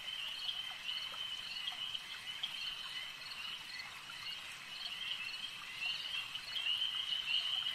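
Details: A lake chorus of frogs, a constant shrill ringing wall of many overlapping callers, growing a little louder and brighter toward the end, with scattered short notes rising above it.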